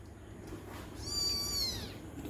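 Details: A kitten at feeding time in a home: a single high, thin mew arching up and then falling, lasting about half a second, over low room hum.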